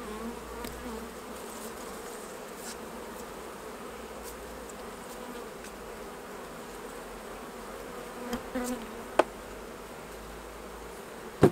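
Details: Hive bees during a honey harvest make a sustained, even humming buzz; sharp clicks and taps of handling equipment break in near the end.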